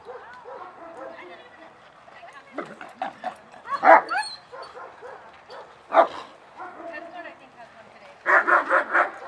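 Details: Excited German Shepherds at the start of a 6/20/20 social class. Scattered single barks break through human talk, ending in a rapid run of four loud barks close together.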